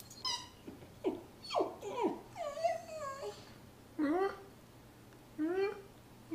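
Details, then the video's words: Sarah, a Miniature Poodle, cries while attacking her toy fox, Mr. Fox: bent, wavering whines with rich overtones, some sliding down and others rising, in short bursts about a second apart, while a person urges her on indoors. "Sarah Miniature Poodle cries while killing Mr. Fox."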